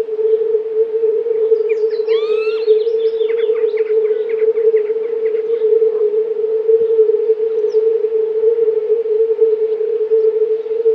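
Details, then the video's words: A chorus of several hundred male European fire-bellied toads gives mating calls, a soft, steady, low hooting that blends into one almost uniform unbroken hum. "Kumak nizinny (Bombina bombina / fire-bellied toad)"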